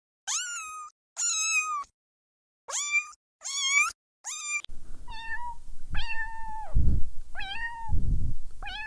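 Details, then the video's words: Kitten meowing while stalking and chasing butterflies on the grass: a run of four sharp high meows, then lower drawn-out mews over a noisy, rumbling background with thumps. "Adorable Kittens Stalking and Chasing Butterflies on the Grass – Meowing Sounds"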